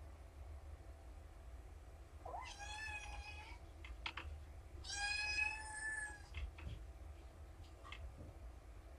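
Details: Kittens at a shelter calling loudly in the morning before breakfast: two drawn-out meows, the second longer and stronger, with faint clicks and shuffling between them.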